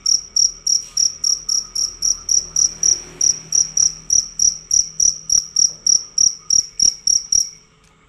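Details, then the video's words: Cricket, described as fierce and loud, calling without a break: bright, high chirps pulsing about three times a second, then stopping just before the end. "Jangkrik ganas dan suara keras tanpa putus"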